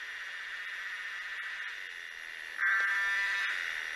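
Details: Tosena albata cicada: a steady, humming buzz that jumps louder at about 2.6 seconds, with clear tonal bands layered inside the drone.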